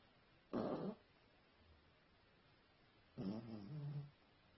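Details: Sleeping dog snoring indoors: two separate rough breaths about two and a half seconds apart, each a short noisy burst, the second drawing out into a low droning rattle, with quiet room hiss in between.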